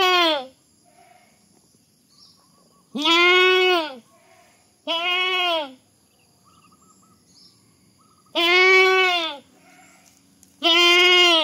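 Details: Funny goat sounds: a series of five loud, nasal, harmonic bleats, each roughly a second long, spaced irregularly two to three seconds apart, with a faint steady high hum underneath.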